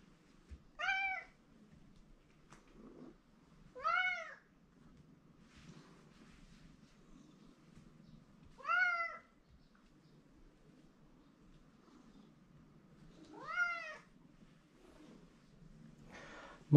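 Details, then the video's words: Attention-seeking male pet cat meowing indoors at a person he likes; four short arched meows roughly every three to five seconds, with quiet room noise and low rumble between calls. "マイクなぜ鳴くの？ He likes me so much, but Too noisy."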